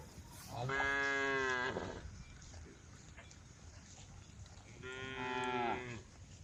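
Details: A group of tame female cows on a road calling the herd. Two drawn-out, harmonic moos about four seconds apart, each lasting roughly a second, with quiet background in between.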